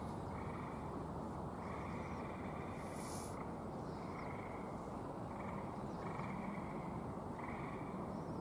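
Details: Gray tree frogs at a Michigan vernal pool give musical trills from the background, repeating every second or two.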